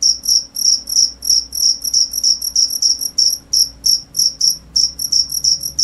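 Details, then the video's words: Shrill cricket chirps arriving in quick, slightly uneven pulses of about three per second, some doubled, with a quiet background. "cricket sound"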